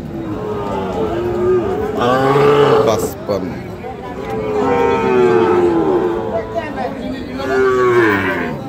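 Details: Sahiwal cattle, fattened bull calves, at the Ambari market in Dinajpur on 24 November 2025, give three long, low, wavering moos spaced a few seconds apart over a busy background of people talking.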